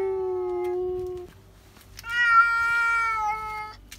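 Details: Indoor cats screaming at a cat seen outside: one steady, sustained low yowl, a short pause, then a louder, higher, bright drawn-out wail that dips slightly before fading.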